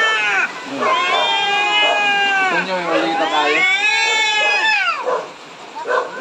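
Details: A pair of angry cats close to fighting trade continuous, overlapping drawn-out yowls that swell and bend up and down in pitch, with a brief lull near the end.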